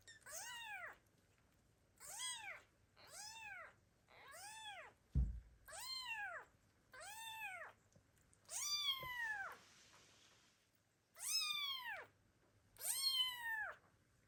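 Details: Loud kitten meows calling for an absent mother cat that abandoned the litter; clear rising-falling cries repeated about every second or two, later ones longer and harsher, with a single sharp knock midway.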